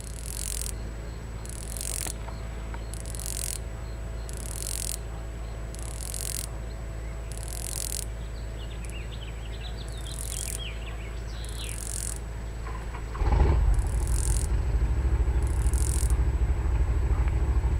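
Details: A cicada on a hot summer day gives a ratchet-like sound of short, harsh rasping bursts, repeated about once a second over a steady low rumble.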